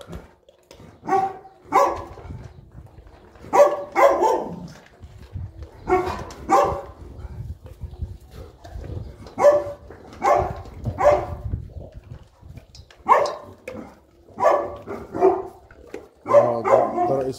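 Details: Pet Boerboels Enzo and Diva, a South African Mastiff couple living in Egypt, during morning feeding: loud, hoarse barks repeated in short groups of two or three roughly every two seconds over low background murmur and talk.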